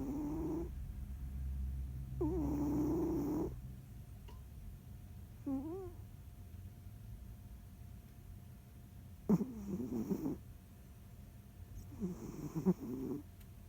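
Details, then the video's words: Snoring from Jiji the cat, asleep and kneading: irregular husky, wavering snores, some long and some short, with quiet gaps and a low background rumble. "猫のいびき＆ふみふみ Cat's snoring＆kneading"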